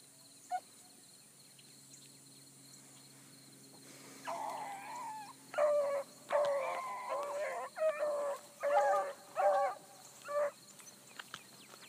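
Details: Blueticks trailing a circling rabbit early in the morning, young pup among the pack: quiet start with one faint note, then about seven seconds of distant overlapping bays in short rhythmic bursts.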